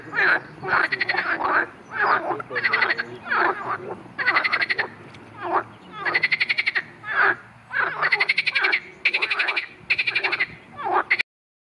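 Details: Marsh frog croaking, in a recording that also covers a grass snake attacking it: a long series of harsh, pulsed rattles, each about a second long, alternates with shorter gurgling notes before an abrupt stop.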